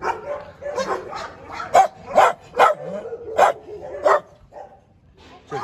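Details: Barking at a large Dobermann kennel, a run of loud, punchy barks roughly every half second to second, tailing off into quieter sounds near the end.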